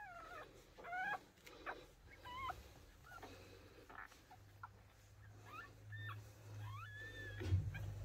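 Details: Micro American Bully with a merle coat giving high, thin whimpers and yips that rise and fall in short bursts, often several in a row, over a steady low hum in a quiet room.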